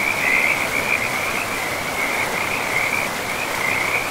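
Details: Frogs calling beside a river deep in a pristine forest with moss-covered land: a steady, tightly pulsed high trill, wavering slightly in strength, sits over a constant broad rush of flowing water.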